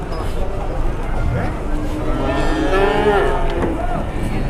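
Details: Cattle going up or down a truck ramp in Indonesia, 2021: one hoarse, swelling moo in the middle over a dense rumble of vehicles and background chatter.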